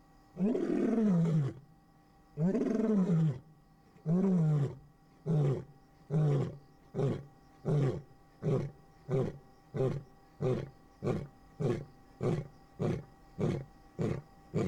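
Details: At night in Kruger National Park's Singita Lebombo, a male lion gives a deep territorial roar, said to carry eight or nine kilometres: two long moans followed by a run of shorter grunts.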